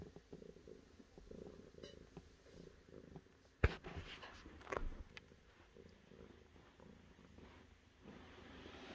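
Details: Steady low cat purr running the whole time, broken by a sharp loud click just before four seconds and a second knock soon after.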